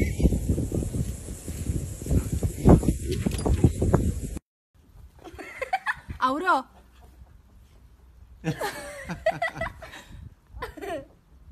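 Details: Husky vocalising dramatically near treat time, with long wavering, rising and falling howl-like moans in two bursts after a stretch of loud rumbling handling noise and human talk.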